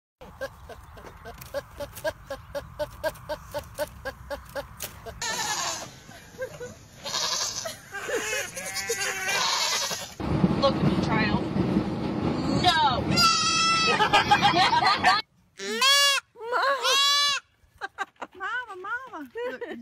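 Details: Loud goats, with a mix of voices, shouting and clatter for the first fifteen seconds, then several goat bleats near the end: loud, wavering, arched cries with rich harmonics, a few seconds apart.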